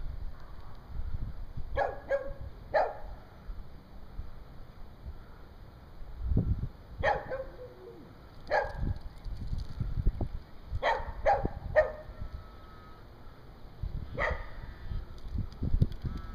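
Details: A dog sitting on top of its rock in the front yard next door barks and howls at the neighbours; short sharp barks come singly or in pairs, about seven over sixteen seconds, separated by quiet gaps with low rumbling background noise.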